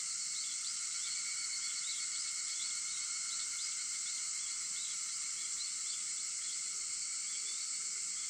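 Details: Cicadas sing at 4:50 in the morning on 4 August: a steady, dense, hissing drone fills the high range without a break, over faint lower hums and a few small chirping notes.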